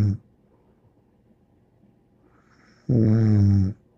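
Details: Bear the dog snoring indoors: a single long, low, rumbling snore of almost a second, rich in buzzy harmonics, following quiet breathing and the tail of an earlier snore.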